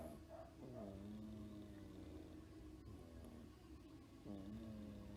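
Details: Sleeping domestic cat, about ten years old and toothless but for one fang, snoring on antibiotics given each morning for an ear wound; long humming breaths rise then hold steady, returning every few seconds in a quiet room.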